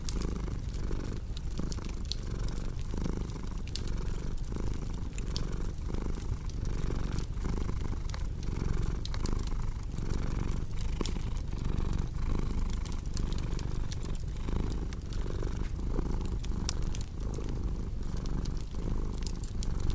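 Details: Continuous cat purr, deep and vibrating, its breath-by-breath pulses repeating under a second apart, layered with constant fireplace crackle and scattered sharp pops.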